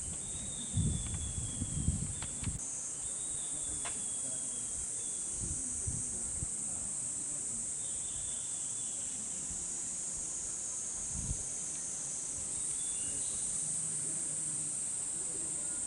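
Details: Looped cicada chorus from Hokokuji temple's bamboo forest in Kamakura, Japan, in summer. A continuous piercing high whine holds steady, with brief fainter whistles above it and scattered low bumps early on.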